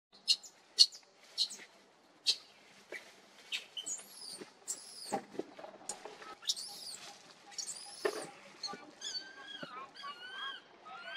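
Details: A baby monkey cries because it needs its mother: sharp clicks open the first seconds, then high, arching whistled cries with bright overtones, rising and falling, and a closing run of short quick squeals.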